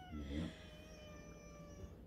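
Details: Black male house cat with a white chest spot, meowing indoors near a door he will not go out of, holds one long, even, tonal meow lasting about two seconds, with a brief low human voice at the start.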